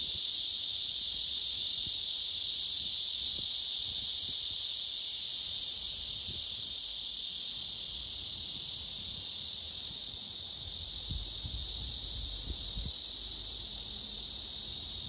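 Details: Courtship song of a male blackish cicada, sung repeatedly while the female beneath shows no reaction: a continuous shrill electric buzz, slightly softening after six seconds, with soft low thumps near the end.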